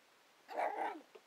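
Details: Eight-week-old male toy poodle puppy indoors, acting sassy; one short, high, slightly whiny yap lasting about half a second, followed by a tiny faint squeak.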